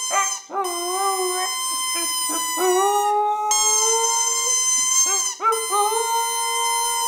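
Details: Pet dog, female, howling to a squeezed bowling-pin toy on 23 January 2010: several long sustained tones, each stepping up or wavering in pitch, overlapped by short rubbery squeaks from the toy.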